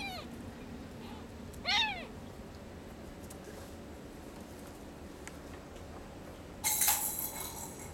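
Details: Sphynx and Bambino kittens from a cattery litter; two short, high, arching meows in the first two seconds over a steady room hiss, followed by a brief broadband rustling burst near the end.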